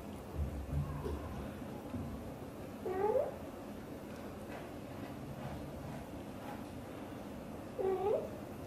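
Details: Mother cat Xaxa, a British Shorthair, talks to and hugs her tiny kitten Piano; two brief rising meows about five seconds apart amid low rustling and faint background noise.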